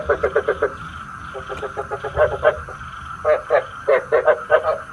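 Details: Frog calling as bait for a nighttime trap: clipped, nasal croaks delivered about four per second in uneven groups, quieter soft pulses between louder bursts, a steady faint hum running throughout.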